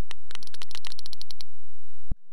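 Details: A sperm whale coda, used for communication, from two sperm whales exchanging calls: a quick run of sharp, dry clicks tapped out like Morse code, each coda a click bundle lasting under two seconds.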